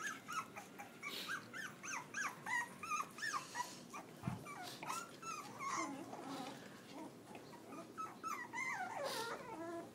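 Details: Litter of eight Pitbull cross by Belgian Malinois puppies recorded on a phone; steady high squealing whimpers, rising and falling, several pups calling over one another, with one low thump midway.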